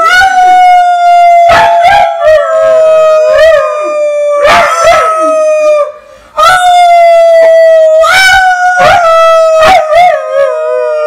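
An East European Shepherd howls in long, wavering, slightly falling notes, joining in with a person's singing.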